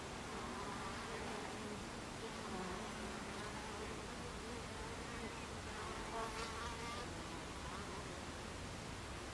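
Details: Afternoon recording from 26 July 2013 of Buckfast honeybees at the beehive entrance: a dense, even hum, with brief low buzzes from individual bees and a stronger passing buzz around the middle.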